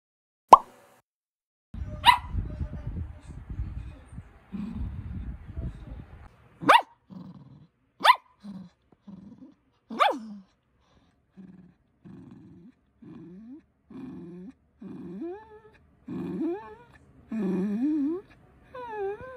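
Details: Cookie, a pet poodle puppy, calling for attention: several sharp, separate barks spaced a second or two apart, then a run of short whining and yelping notes, rising and falling, with softer indoor rustling underneath.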